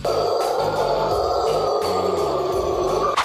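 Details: Steady music with a sustained tone and rhythmic low notes; no animal voice is audible.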